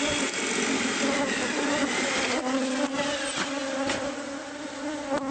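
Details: Bees swarming from a nest inside the walls of a newly bought house during removal. A constant, loud buzzing hum with rough broadband hiss and a few sharp clicks.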